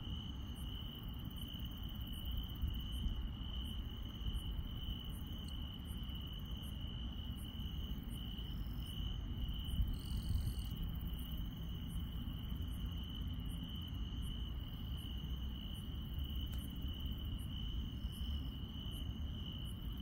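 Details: Countryside grass insects calling after dark: one insect keeps a constant high trill while another gives sharp very high pulses at a steady rhythm, with a louder buzzy burst midway and a low background hum.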